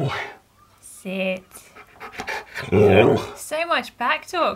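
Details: Keyush, a male Siberian Husky, talks back and argues while refusing to sit on command: harmonic, arching yowls that rise and fall, some drawn out, others short and clipped, with a person repeatedly telling him to sit.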